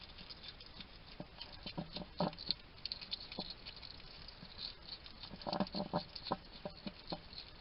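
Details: Male wild hedgehog eating at a garden feeding station in Somerset, UK, chattering to itself: sharp scattered clicks and smacking chews in short clusters, busiest near the end, over quiet background hiss.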